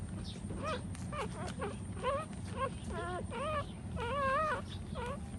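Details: Nursing puppies feeding from their standing mother dog, whining in a quick run of high, wavering squeals that grow longer and louder midway, each call bending up then down, over a low background rumble.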